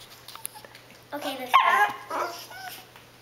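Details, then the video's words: Begging for food her owners are eating, pet dog Cassie makes short whiny vocal bursts and a brief yip-like sound in a quiet room, with faint voices. "Cassie the funny begging dog!"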